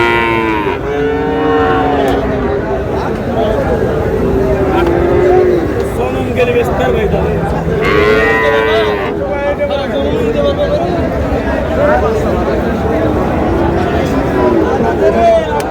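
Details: Lowing of Friesian and crossbred bull calves at the Raniganj market in Dinajpur, 30 July: drawn-out, slightly bending moos, some overlapping, amid steady chatter of buyers and sellers haggling.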